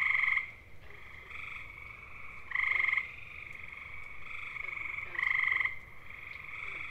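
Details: Musical, bird-like trills of calling male gray tree frogs (Hyla versicolor), eastern North America, seeking mates; loud trills open the clip and recur near three and five seconds, with quieter trills filling the gaps.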